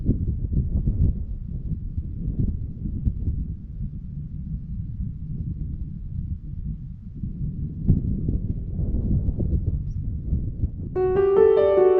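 Low, gusty wind rumble buffets the microphone throughout, and a brief sustained tonal note enters right at the end; no animal is heard.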